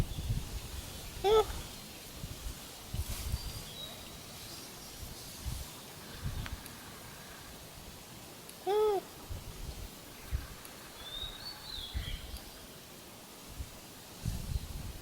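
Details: Wild Japanese macaque calling in reply to another macaque's calls: two short, clear, arched tonal calls rising then falling, about seven seconds apart, over a quiet outdoor background with faint rustling.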